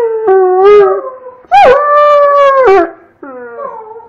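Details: Domestic Doberman howling alongside a child: wavering moaning tones, one short howl followed by a longer steady howl that drops at the end, then a softer trailing whine, with the boy's howling mixed in.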